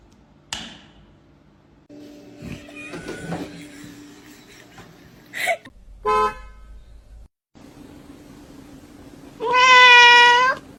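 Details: Kitten giving one loud, drawn-out meow near the end, steady then rising at the close, after quieter clicks, knocks and a faint hum.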